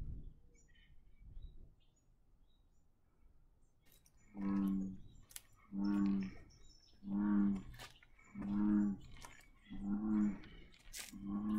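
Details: An American bullfrog at Sonoma State Historic Park, California, gives six deep, droning, resonant notes, each under a second long, repeating about every second and a half after a quiet start. A great blue heron is nearby.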